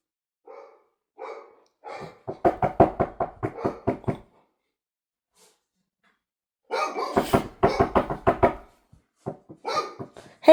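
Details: Dog barking indoors: a few spaced single barks, then a rapid run of loud, sharp barks for about two seconds, a short pause, and another fast burst of barks followed by scattered single barks.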